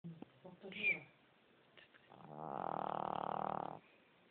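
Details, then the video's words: Fat dog snoring: one long, steady, harmonic-rich rasping snore lasting over a second, preceded by short scattered sounds and a brief squeaky noise. "Snoring Fat Dog"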